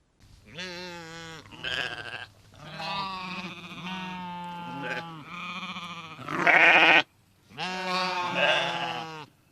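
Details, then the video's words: Sheep grazing in a meadow give a run of long, quavering, nasal bleats, each about a second, with short gaps. One near the end is louder and harsher. "The relaxing sound of sheep bleating and eating grass in the meadow"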